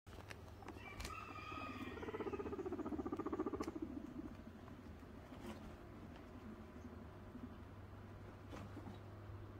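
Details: Pearly, a female guinea pig in heat, gives a low pulsing rumble with a fast vibrating rhythm for about two seconds, plus a faint higher squeak at the start, then quieter shuffling over a steady low hum.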